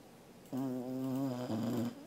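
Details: Welsh Corgi Angela asleep on 13 August 2021, snoring a steady, buzzy, hum-like tone for about a second, then a slightly lower, wobbling continuation before falling quiet.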